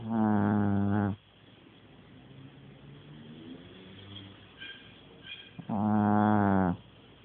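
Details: A sleeping dog snoring: two long, loud, rough snores about one second each, one at the start and one near six seconds, with quiet breathing between them.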